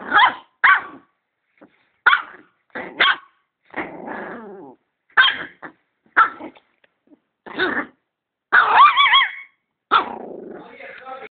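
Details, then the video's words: Barking at a vacuum cleaner, a dog gives a rapid run of about a dozen loud, sharp barks, some doubled, mixed with low rumbling growls between them and a longer whining bark near the end. "Dog barks at the vacuum cleaner"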